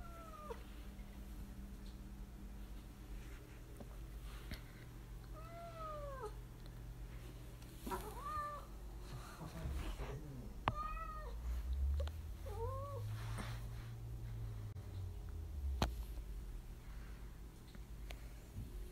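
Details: Domestic cat in the United States, on a scavenger hunt, meowing repeatedly: about seven short arched meows spread across the stretch, some brief and chirpy, over low room hum and occasional knocks.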